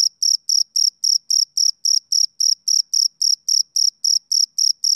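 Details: Male cricket chirping on a summer evening: clean, high-pitched pulses repeating steadily, nearly four per second, each a short bright trill, with silence between and no other sounds.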